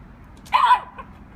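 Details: Rambo, a German Shepherd puppy, out enjoying a snow day, gives one short, sharp bark or yip lasting about a third of a second, with a faint low rumble of background noise underneath.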